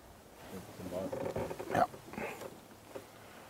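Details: A young lioness, just over three years old, gives low, moaning contact calls toward her pride's other lionesses at sunset in windy, blustery weather at Djuma/Arathusa during a mating period suspected as false oestrus; a person talks quietly nearby.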